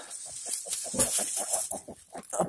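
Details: Pig giving birth, recorded 28 July 2020: a quick run of short, low grunts, several each second, over a steady background hiss.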